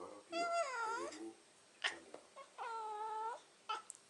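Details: Domestic cat "talking": two drawn-out, tonal meows, the first bending down then up, the second held level, separated by a short clicky noise, with a brief sharp sound at the end.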